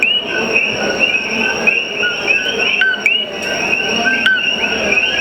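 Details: An invasive common coqui chorus at night on Hawaii's Big Island: many frogs overlap their sharp two-note, upward-sweeping 'co-qui' mating calls.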